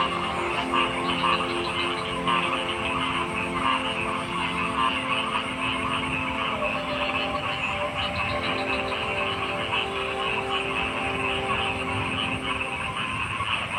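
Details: Massed frogs produce a continuous buzzing wall of sound. Clustered croaks stand out in the first half, then thin out, while steady lower tones and a soft rumble run throughout.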